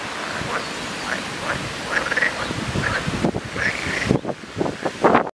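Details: Numerous frogs in a loud calling chorus, overlapping croaks and quacking notes, growing louder and more clipped toward the end.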